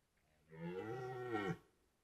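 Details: Red deer roaring during the 2023 rut in Białowieża Forest, heard at some distance: a single wavering, groaning bellow lasting about a second, with rough, shifting overtones and faint background hiss.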